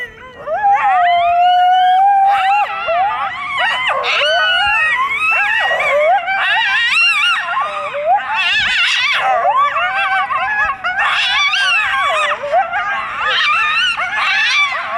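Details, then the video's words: A coyote pack calling loudly at night near a golf course by a canyon in Burbank, California: one long steady howl opens, then many overlapping wavering howls, yips and rising-falling wails fill the air continuously. "Coyote pack making loud noises"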